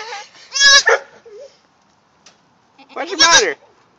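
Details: Goat kid about four hours old searching for its mother: two strong wavering bleats about two and a half seconds apart, with a soft human voice between them.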